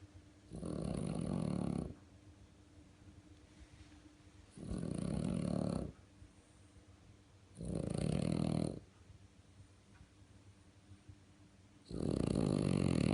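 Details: Marsik, a French Bulldog, snores like a tractor: four loud, raspy, buzzing breaths of about a second and a half each, evenly spaced every three to four seconds, with quiet pauses in between.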